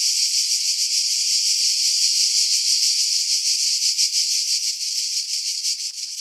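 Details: July cicadas in seaside pine trees on Skiros, Greece, with wind noise filtered out; a loud, steady, hissing high-pitched drone with faint throbbing, growing choppier and uneven toward the end.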